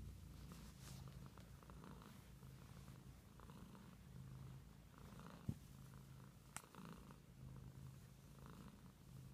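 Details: Domestic cat purring, a low throbbing rumble that swells and eases with each breath, broken by two sharp clicks near the middle.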